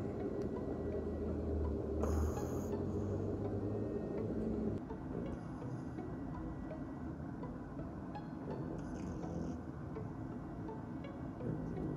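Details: Quiet background music under a constant low hum, with a brief brighter burst early on; no animal voice.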